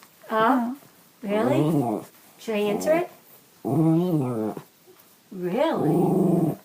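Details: Pet Bichon Frise indoors, recorded on an iPhone 5, vocalizing in a back-and-forth conversation with its owner: five drawn-out, wavering, harmonic growl-whines about a second each, pitch sliding up and down, separated by short quiet gaps.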